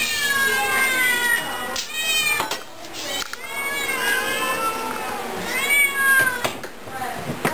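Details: Several overweight cats on a special diet meowing at feeding time in The Hermitage Cat Shelter: overlapping rising and falling wavering meows, many in quick succession, with a woman talking to them.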